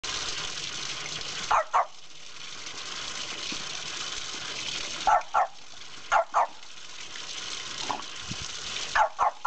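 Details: Margo, a female French Bulldog foster dog, playing with a water spout and getting wet: short sharp barks, mostly in quick pairs, at about 1.6, 5.2, 6.3 and 9.2 seconds, over a constant loud rush of gushing water.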